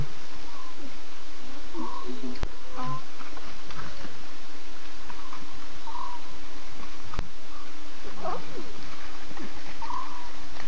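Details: Nkuhuma lion pride at night, September 8, 2:50 a.m.: six chatty cubs and three adult females giving contact calls; scattered brief mewing calls, spaced several seconds apart, partly masked by a constant hissing background.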